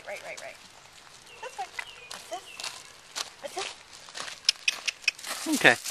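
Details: Welsh Terrier puppy aged nine weeks, excited on a lead while its sister waits on a deck: thin high yips and whimpers scattered throughout, ending in a loud squealing cry, with human speech and footsteps around.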